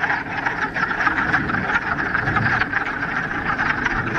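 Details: Dense chorus of many frogs calling together in a mountain pond in the Ramapo Mountains, mid-March, on the first warm spring day after a week of rain; continuous rattling croaks overlap into a steady roar with no pauses.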